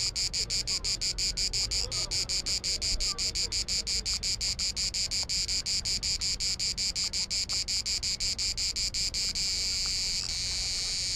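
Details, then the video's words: A cicada on Bisevo island, Croatia, in summer heat produces regular bright, rasping clicks that quicken and finally fuse into one continuous shrill buzz near the end. "Clicking cicada"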